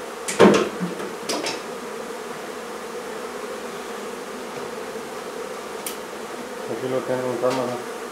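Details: Honey bee swarm buzzing as its hive is taken out of a barn in La Feria, Texas, during midday heat. A low, even drone runs throughout, broken by a few sharp knocks and brief voices.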